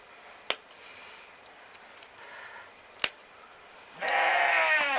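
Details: Romanov sheep during spring hoof trimming in Tver region, Russia; quiet handling knocks and clicks, then a single loud quavering bleat starting near the end and running to the close.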